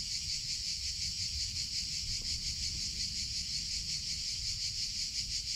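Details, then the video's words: Cicadas in summer: a steady, dense, high-pitched buzzing chorus with a fast pulsing shimmer, holding at one level without pause, over a faint low rumble. "CICADA SOUNDS - Sound Effect of Cicadas in Summer Sounds of Cicada (Chicharra, Campanero)"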